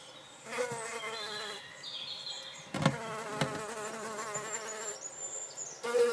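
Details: Drone fly, Eristalis tenax, laying eggs: a steady, low, harmonic-rich buzzing hum that runs almost without a break, wavering slightly in pitch, with one sharp knock in the middle and faint high tones behind.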